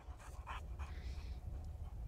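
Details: A playful Boxer dog pants in a few quick breathy bursts, then a softer drawn-out exhale, over a constant low-pitched background hum.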